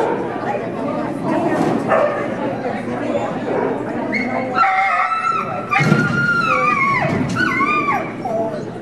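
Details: A dog named Zippity at an indoor AKC agility trial in Oklahoma City, screaming out from the sidelines: high whining yelps with rising and falling pitch over crowd chatter and voices.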